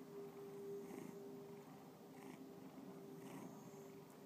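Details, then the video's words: Domestic cat Bubba purring in Lakewood, Ohio; a short stretch of low rumbling with a few faint breathy pulses and a steady background hum. "Bubba Purring"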